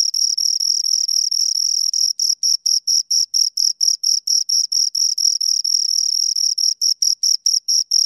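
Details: Two crickets chirp high and piercing: for the first two seconds their calls blur into a continuous trill, then they break into distinct pulses about four per second, slightly uneven as the two voices interleave. Nothing else heard.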